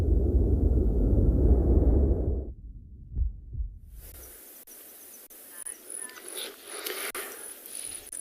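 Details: Heavy low-frequency rumble, like wind buffeting or an engine, fills the first few seconds. It then drops to a quiet outdoor background with faint high hiss and occasional clicks, and no clear animal voice.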